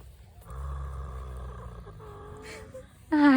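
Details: A mare lying on the ground gives deep, rumbling, growly snoring groans, which stop once she stands up; a woman's voice breaks in at the end.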